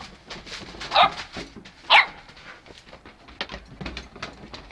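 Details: Goldendoodle puppies, eight weeks old, playing outside with their mother; two sharp high yips about a second apart, then scuffling, panting and softer whimpery noises.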